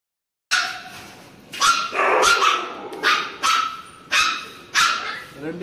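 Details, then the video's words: Frightened Labrador puppy at its vaccination cries out against the injection, giving strained, piercing yelps and drawn-out whines, roughly one to two per second, loud and close throughout. "Cute Labrador fear of injection | Crying video of puppy for injection"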